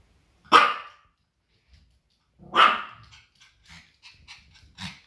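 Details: Pomeranian scolding at outside sounds and guarding its territory: two loud, ringing single barks about two seconds apart, followed by faint clicking and shuffling noises.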